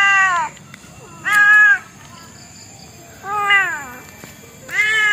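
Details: Domestic cat meowing: four clear, harmonic meows, each about half a second long with an arched, slightly falling pitch, spaced unevenly over five seconds, against a faint steady background hum.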